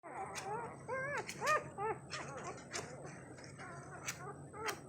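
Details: Labrador puppies less than 2 days old, sleeping and crawling, make high, thin whimpers and squeals, each a short arching or wavering note, in irregular overlapping bursts over a soft background murmur.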